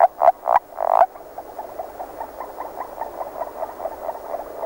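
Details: Agile frog, calling early in the year, opens with four loud, abrupt clucks. A quieter, steady train of short notes follows beneath them, continuing to the end.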